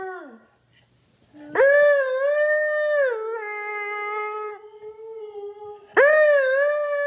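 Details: Morning duet of Loki the Siberian Husky and his owner: a falling howl tail fades out, then a long howl rises, steps down and holds level, and a fresh loud howl bursts in at the end.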